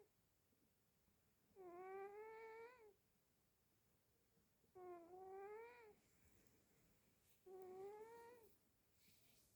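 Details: Sleeping cat snoring in a small room, three slow, harmonic, slightly rising nasal breaths about every three seconds, each lasting over a second, with quiet pauses between.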